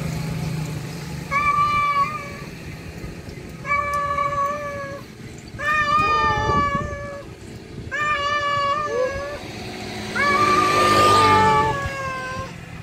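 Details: A male cat calls a wild female to mate, giving five long wailing meows spaced about two seconds apart, some ending with a wavering downward bend, the last one loudest with a rushing noise behind it.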